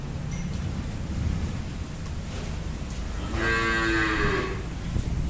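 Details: Murrah buffalo on an Indian dairy farm, giving one low, harmonic moo of about a second near the end, over a steady low rumbling background.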